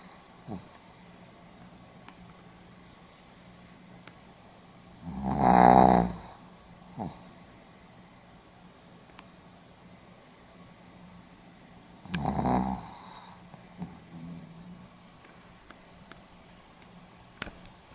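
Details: Pomeranian asleep and snoring, 4 November 2015: two rough, rattling snores roughly seven seconds apart, the first louder, with faint breaths and small clicks between them against a low steady hum.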